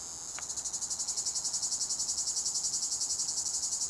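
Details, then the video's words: One of the last Tibicen plebejus cicadas still sings in a pine tree on 23 August 2019, late in the season. It gives a loud, high, rasping buzz that throbs steadily about four times a second, with a faint click near the start. "Una de las últimas Cicadas Tibicen Plebejus se deja todavía oir"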